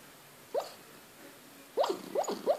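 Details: A four-month-old Lhasa Apso puppy sleeps restlessly, giving soft, muffled yips and whimpers, one alone, then three in quick succession.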